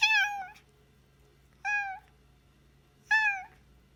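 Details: Rescued former stray cat at a shelter, meowing indoors: three clear, drawn-out meows about half a second each, spaced roughly 1.5 seconds apart, bright and slightly falling at the end; faint low hum in the background.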